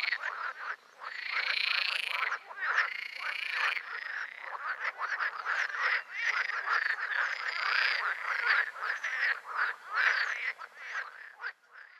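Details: Green frogs (Pelophylax) in full chorus: drawn-out, wavering, nasal croaks over quick stuttering rattles from other frogs, fading a little toward the end.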